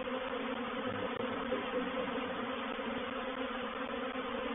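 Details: Honey bees of a reproductive swarm entering a swarm trap at Painted Peacock Manor, 04/07/21: an unbroken thick buzzing drone, even in loudness, layered with steady humming tones.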